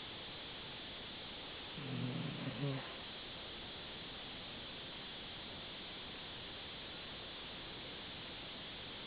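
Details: Asleep, the Dachshund Gigolo produces a single gravelly, low-pitched snore of roughly one second, then only steady faint hiss for the rest.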